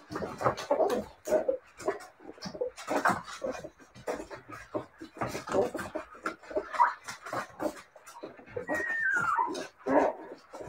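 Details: Siberian Husky puppies whimpering and yipping in short, repeated bursts, with one drawn-out whine sliding downward in pitch near the end.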